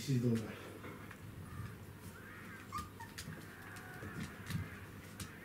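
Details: A Pembroke Welsh Corgi mother with her puppies, recorded 23 May 2015, gives one short, sharp bark, apparently as discipline, then only quiet room noise follows.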